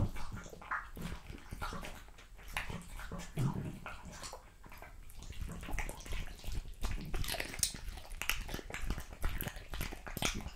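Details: Steady wet chomping and crunching from a French Bulldog eating raw lamb, beef and quail, bites coming in irregular bursts with sloppy licking sounds between them.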